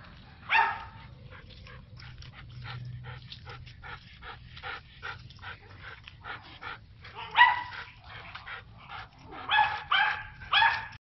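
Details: German Shepherd on a walk barking in loud bursts, a fast run of softer yips and whimpers in between, then several sharp barks clustered near the end over steady low background noise.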